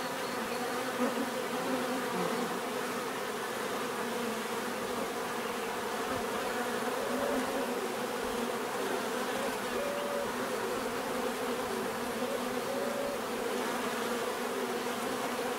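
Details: Continuous hum of bees swarming, a dense even drone with overlapping wingbeat tones and occasional short rising whines of single bees passing close, steady loudness throughout.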